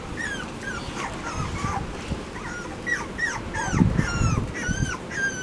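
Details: Several Labrador Retriever puppies in a pen with both parents present, in September; a busy overlapping chorus of thin, high, rising-then-falling whines and squeaks, repeated quickly, over low rustling and thumps.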